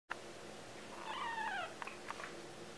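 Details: Two-week-old kittens, four in the litter, indoors; a single thin, high mewing cry with a wavering, slightly falling pitch, followed by a few faint clicks and rustles.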